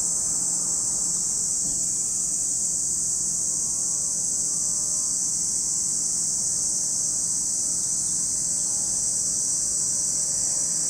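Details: At Lake Kamo, Sado City, in Niigata Prefecture, Japan, a cicada chorus forms a constant, hissing high buzz with no pauses, filling the whole stretch at an even loudness.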